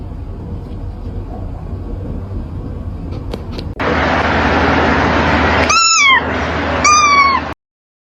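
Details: Kitten meowing: two clear, high, downward-sliding meows about a second apart near the end, after a steady low background hum and a sudden rise in broadband noise.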